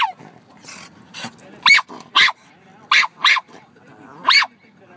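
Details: Pet dog barking at birds: sharp, short barks in loose pairs, about six loud bursts spaced irregularly over five seconds, with a person's quiet voice and low background murmur between them.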